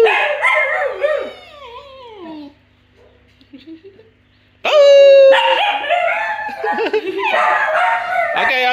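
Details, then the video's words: Several pet Basenjis romping and yodelling together indoors: a run of wavering, sliding, up-and-down cries, then a pause with soft whines, then a loud burst of overlapping yodels. People speak and music plays in the background. "Cute Basenjis playing and yodelling!"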